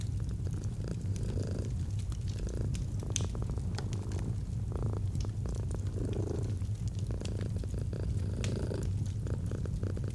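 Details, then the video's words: Purring domestic cat with a fireplace crackling nearby in cozy autumn ambience; deep steady rumble pulsing in roughly two-second breath cycles, punctuated by frequent sharp wood crackles and pops. "Fall asleep to the Purring of a Cat"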